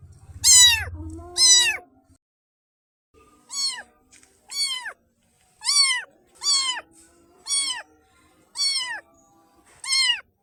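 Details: Black baby kitten meowing: a string of clear, high, down-curving mews, each under half a second, about one per second after a short pause, with a brief low rumble at the start.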